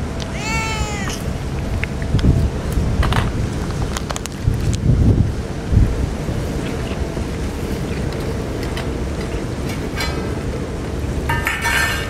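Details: On a typhoon day, a stray cat cries before feeding: one clear, drawn-out meow rising then dipping opens the recording, followed by scattered clicks and thumps over a constant heavy low roar of wind.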